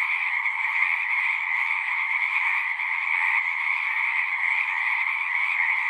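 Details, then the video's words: Singing frogs make a steady, dense chorus of rapid trills at two pitch levels, with a brief slight dip in loudness midway, otherwise unbroken. "One hour of singing frogs."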